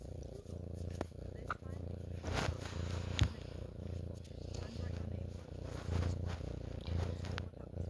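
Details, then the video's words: Pet cat purring in an even, throbbing low drone that carries through the whole stretch, with faint breathing and small rustles. "my cat purring"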